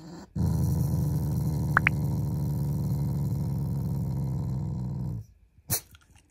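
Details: Pet Shiba Inu growling playfully as an expression of affection toward its owners, not in anger: one steady, low rumbling growl lasting almost five seconds, followed by a brief sharp noise.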